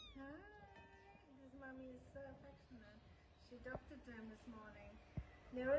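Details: Kittens mewing quietly at home; soft, drawn-out, wavering mews repeat at low volume, with a couple of sharp clicks and a louder call at the end.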